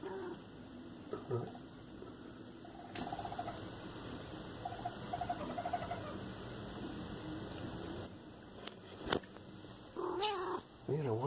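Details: A raccoon outdoors in Los Angeles, California, gives short, clucking, hen-like chitters, then a louder wavering whine near the end, over a steady electronic hum and brief human voices.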